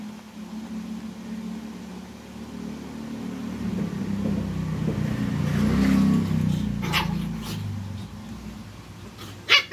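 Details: Two twin Shih Tzus teasing each other and getting annoyed quarrel in low, grumbling growls broken by a few sharp, sudden yaps.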